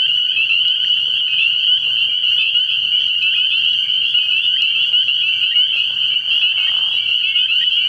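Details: Many spring peepers chorusing after dark at a frog pond early in the year; countless high, sharp peeps blend into a constant shrill drone with no pauses, plus a faint low background hum.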